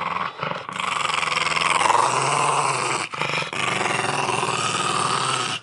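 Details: Milo the pug growls nonstop while eating squash at Halloween, a harsh, rough rumble held for almost six seconds with only two brief breaks.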